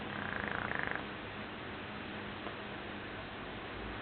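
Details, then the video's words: Joshua the Shar Pei snores in a dreaming sleep: one rapid, rhythmically pulsed rasp lasting under a second with a wavering whine on top, then only low steady hiss. "Snoring sharpei Joshua"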